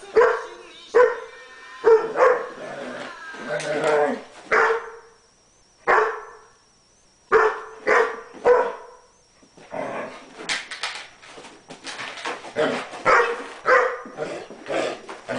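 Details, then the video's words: Pet collie dog at crazy play with a bone: sharp yips and barks in quick bursts, some with tonal whine, pausing briefly then resuming in a rapid busy flurry of barking. "My Crazy Play Collie Dog"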